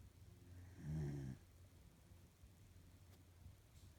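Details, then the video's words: A female corgi snoring while she sleeps indoors: one low, rumbling snore lasting about half a second, then quiet breathing and faint room noise. "Corgi snores"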